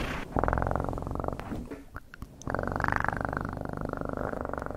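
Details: Close domestic cat purr: dense, low, fast-pulsing rumble that starts loud, dips briefly into soft clicks and rustles near the middle, then returns strong and even to the end.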